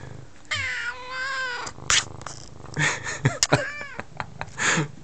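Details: Female F2 Savannah cat, about nine months old, talkative and crying for attention indoors while face-rubbing and pawing; a long, wavering meow followed by several short chirping mews and bumps of movement.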